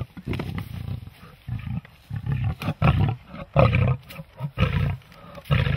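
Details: Big cats with Christmas presents produce a string of short, deep growling roars, each burst under a second and coming irregularly, some louder and grating, with brief silences between.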